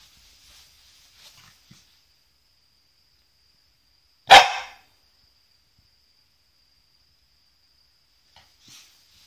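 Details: A tomboyish female corgi digging at a bed gives one sharp, loud bark in an otherwise quiet room.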